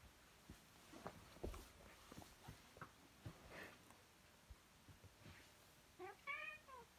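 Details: Domestic cat giving one short meow near the end, a wavering, slightly falling harmonic tone, after several seconds of scattered clicks, taps and rustling handling noises.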